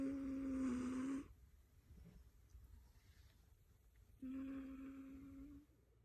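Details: Elderly 19-year-old female house cat snoozing on dog beds piled up in her room, known for loud, distinctive wheezy snores, possibly from smoke inhalation damage; two drawn-out, steady, whistling wheezes about a second long, three seconds apart, in a quiet room.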